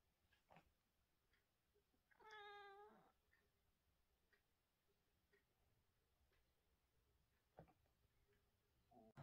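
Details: Single short meow from a British Shorthair cat during the day, clear and tonal, under a second long, amid a very quiet background with faint scattered clicks and taps.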